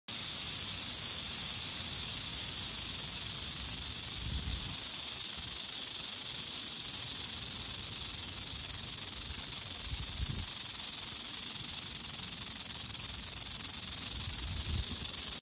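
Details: Western diamondback rattlesnake rattling in spring, recorded on an iPhone 11: a steady, unbroken high buzzing hiss that lasts the whole fifteen seconds without fading, with a few soft low thumps near the fourth, tenth and fourteenth seconds.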